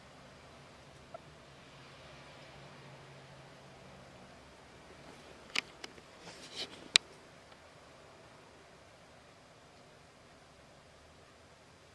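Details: A quiet room holds only low background hiss, broken midway by a few sharp clicks and brief rustles, with no whistling or other animal voice.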